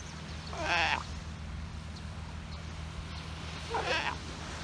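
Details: Sea lion pup and bull in the Galapagos Islands, the father chastising the hungry baby for interrupting nap time: two brief quavering bleats about three seconds apart over a steady low hum and background hiss.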